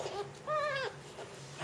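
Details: Jungle cat (Felis chaus) kitten being fed, giving a single arched, harmonic-rich mew that rises and then falls over about half a second, with fainter short calls before and after.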